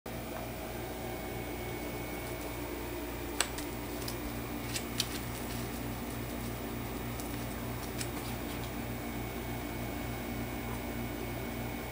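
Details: Constant mechanical fan hum in a small indoor room with a few sharp clicks, and no animal sound.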